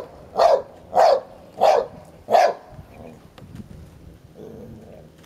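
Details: Sherlock, a ten-year-old Hovawart, defends his toy against boisterous one-year-old American Staffordshire Terrier Heini; four evenly spaced loud barks about half a second apart, then faint rustling and a soft low grumble.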